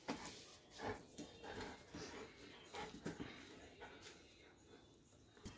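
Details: Dobermann softly whimpering in a quick, uneven series of short tonal squeaks, roughly one every second, low in level against steady background hiss.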